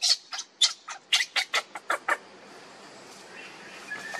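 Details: Hungry baby monkey Lucie cries for her mother's milk while the mother refuses, giving a quick series of sharp, high squeals, roughly three per second, then falling quiet with faint background hiss.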